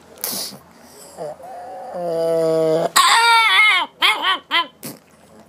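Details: Lotte, a hungry female pug, makes happy sounds at mealtime: a brief squeak, a steady low whine held almost a second, then a run of high, arching whimpering squeals in quick bursts indoors.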